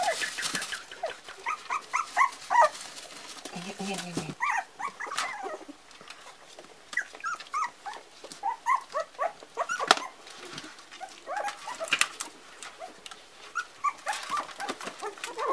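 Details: Parson Russell Terrier puppies, four weeks old, a litter crying in rapid overlapping squeaks and whimpers, many short high yelps in bursts, with human voices mixed in and rustling noises.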